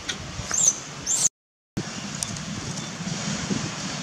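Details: Baby monkey Dustin in Cambodia, having lost his mother, screams for her while brother David tends him: two shrill, very high squealing cries in the first second, then steady background rumble and hiss.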